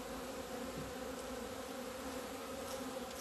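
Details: Continuous humming of a crowd of honey bees, 17 February 2020, emerging into the sun for the first time after two months of winter; even two-tone droning with faint brief ticks over it.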